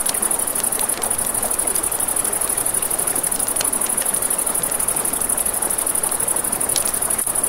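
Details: High, even trilling of crickets at night by a river, slightly pulsing, accompanied by frequent crackling and popping of a campfire and the steady roar of flowing water.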